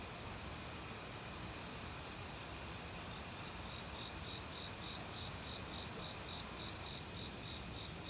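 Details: Forest crickets in autumn, singing loudly alongside many other insects: layered continuous high-pitched chirring with a faint pulsed trill running throughout, set against the loud, even rushing of stream water.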